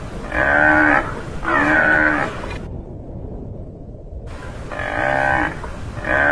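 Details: Tamaraw (Mindoro dwarf buffalo, Bubalus mindorensis), a critically endangered bovid endemic to Mindoro Island, Philippines, gives drawn-out, nasal moo-like calls about a second long. The calls are rich in harmonics and repeat roughly once a second with brief silent gaps.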